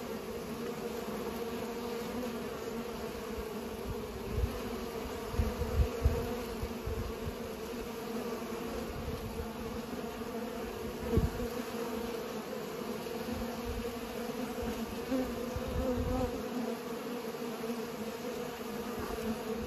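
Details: Several bees pollinating give a steady, droning hum with a low tone and a clear overtone above it. Soft low thumps and bumps break in around the middle.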